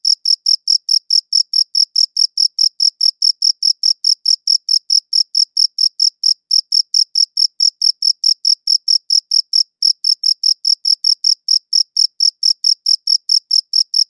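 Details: Cricket sound recorded at close range: a long run of rapid, piercing chirps, nearly five per second, broken by two brief pauses, nothing else audible.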